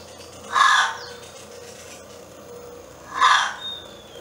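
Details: A gray fox met on a morning walk at Alpine Creek on 29 June 2017 gives two harsh, raspy barks about three seconds apart.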